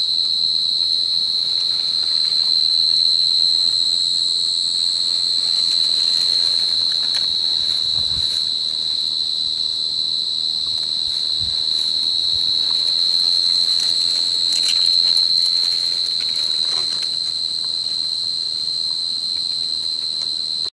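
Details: A Forbes' tree cricket (Oecanthus forbesi) singing in a planted prairie on 3 September gives a continuous, pure-toned, high trill holding one pitch; fainter, higher insect tones come and go behind.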